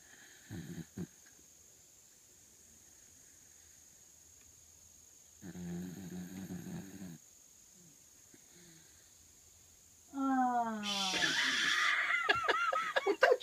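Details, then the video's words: Sleeping dog giving a brief low snort, then a longer buzzy snore, and finally a string of falling, whining whimpers with a raspy burst, all against a faint steady hiss. "Snoring doggie"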